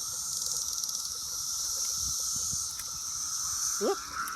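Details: Swarm of Brood X periodical cicadas on an apple tree, June 6, very loud: constant shrill buzzing drone, a few faint ticks, and a brief rising squeal near the end.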